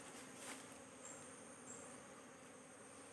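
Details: Honey bees at a hive while the beekeeper checks the combs for queen cells, leaving a single queen cell in place. A low, steady, even hum holds throughout, with a faint high whine above it.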